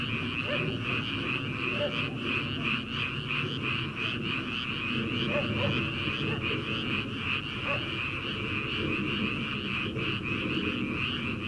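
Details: Frogs calling in a rice paddy in early summer, before rice transplanting: a dense, steady chorus of rapid high trilling pulses, with scattered lower croaks breaking through every few seconds.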